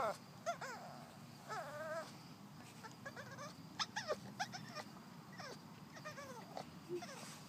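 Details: Boston Terrier. A Boston Terrier gives repeated whines, thin and quavering, each cry wobbling up and down in pitch. Brief clicks and soft background rumble sit beneath the whimpering.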